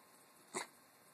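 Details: Puppy giving a single short grunt, a brief breathy burst lasting a fraction of a second amid quiet room noise.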